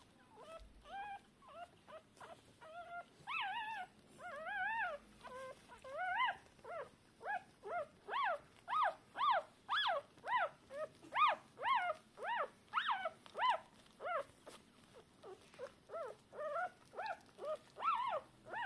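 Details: Newborn Shiba Inu puppies, deaf and blind a few hours after their 19 October 2022 birth, calling the mother; fast, insistent series of short rising-falling squeaks, about two per second, growing louder through the middle.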